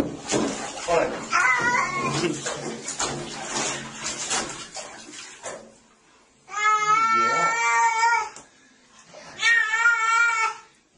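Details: Cat being bathed: running water and a soothing voice first, then two long, drawn-out, slightly wavering meows separated by a pause.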